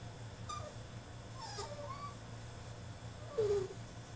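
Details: A caged French Bulldog in a tantrum gives short high whines, a cluster of wavering cries mid-clip, then a louder, lower whine that slides downward near the end, with constant low humming in the background.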